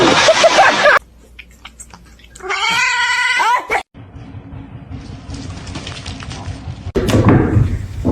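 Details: A pet cat gives one clear, slightly wavering meow lasting just over a second, set between stretches of rumbling background noise and a loud rustling burst near the end of a funny cat compilation.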